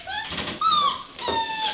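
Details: Six-week-old puppies from one litter giving thin, high whimpers: a squeaky rising-then-falling whine followed by a longer, steady, slowly falling whine.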